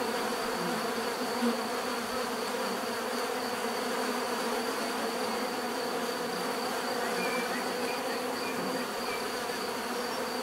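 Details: A steady chorus of buzzing bees, a thick unbroken drone with stacked hum layers and a faint high whine, plus scattered faint bird chirps in the background.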